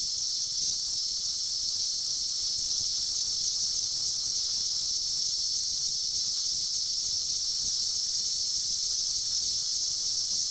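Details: A 2004 mass emergence of 17-year periodical cicadas, billions surfacing to mate and die, fills the air with a constant sizzling high drone that holds steady without pause.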